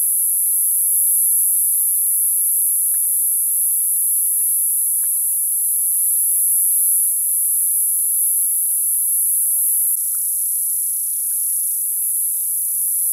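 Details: Continuous high-pitched buzzing of summer cicadas, an unbroken metallic whine that shifts slightly in tone partway through, with faint scattered clicks below.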